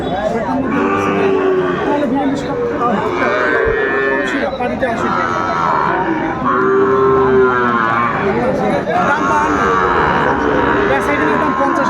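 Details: Sahiwal bulls and calves at Aftabganj cattle market, Gazipur, Bangladesh, on Tuesday 27 August 2024: several drawn-out, steady lowing moos overlap amid constant crowd chatter and haggling voices.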